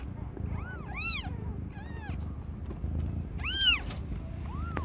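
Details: Young cat Aimee, under a year old, during the birth of five differently coloured kittens: five or six brief, high-pitched mewing calls, each rising then falling, with a soft low background hum.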